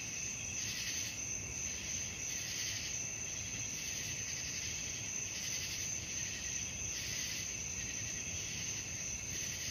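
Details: Crickets calling at night: a dense, continuous high-pitched trilling chorus that swells in soft pulses about three times a second, over a faint steady low rumble.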